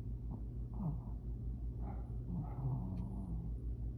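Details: A Shih Tzu snores loudly with a low, rough rumble that rises and falls with each breath.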